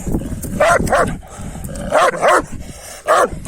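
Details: Kangal dogs, males eager for a female, let out strained, yelping barks with a whiny edge, some in quick pairs, spread across a few seconds of low rumbling background.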